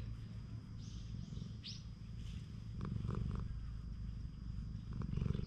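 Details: Stray cat on a cat island purring while its body is stroked, recorded with a GoPro HERO8. Low, throbbing purr pulses about four times a second, with brief rustling touches and one short high rising chirp early on.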